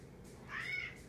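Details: Kanaya, a female cat, utters a short, soft, mid-pitched meow lasting under half a second as she demands company while eating. Room hum lies underneath.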